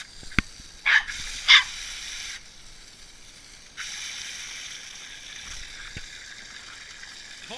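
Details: Norfolk Terrier named Boris, playing with water, lets out two quick bright barks close together near the start, followed by a long stretch of low hiss and faint voices.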